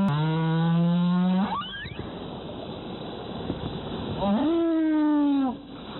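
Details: Humpback whale near Zamami Island in the Kerama Islands, Okinawa, where whale season runs January to April: two long, deep, harmonic moans, the first steady and low, the second swooping upward then sliding gently down, a brief squeal between them.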